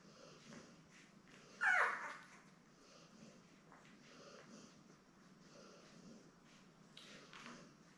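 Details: Litter of seven newborn Lab puppies with their mother Belle, born May 24, 2021, filmed indoors by a live puppy cam on June 3. One sharp, high, wavering whimper cuts through soft rustling and breathing; a fainter squeak comes near the end.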